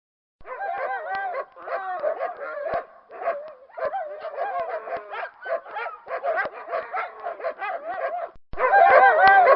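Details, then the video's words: Several dogs barking and yelping together in a dense overlapping chorus, with short harmonic calls that bend up and down and drawn-out howl-like wavering tones, continuous with brief pauses, growing louder near the end. "Latidos dos cachorros som dos cachorros e uivos"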